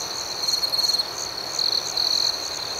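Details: Crickets in the night chirp in three bright pulsed bursts, the first longest, over an unbroken shrill ringing of the surrounding chorus.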